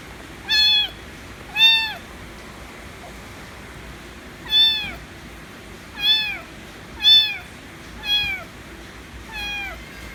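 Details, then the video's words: Demanding affection, a white kitten meows loudly and repeatedly, seven bright harmonic calls each bending downward, roughly one per second, low hum underneath. "White Kitten Meowing Loud Demands Affection As Always"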